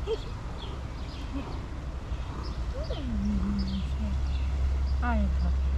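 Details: Tuxedo cat talking and answering its owner with cute meows: a drawn-out meow that slides downward and then holds low and steady, followed shortly by a brief falling meow, over a steady low background rumble.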